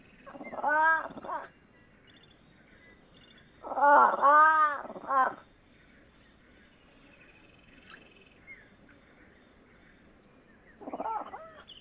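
A fishing cat gives drawn-out, meow-like wails, each a second or so long, with long quiet gaps.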